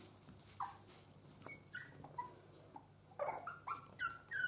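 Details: Chihuahua puppies from a litter born 5 April 2019: thin, high whines and squeaks, short and scattered, coming in a quick cluster near the end, quiet against a faint room background.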